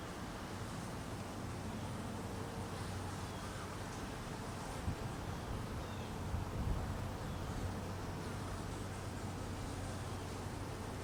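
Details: Hungry honey bees being fed in cold weather, a dense, steady low buzzing hum with a faint droning tone underneath, level throughout with brief swells around the middle.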